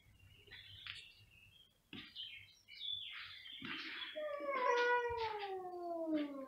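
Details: Loud meowing from two domestic cats: short scratchy calls early on, then a long, clear meow that slides steadily downward in pitch over about two seconds.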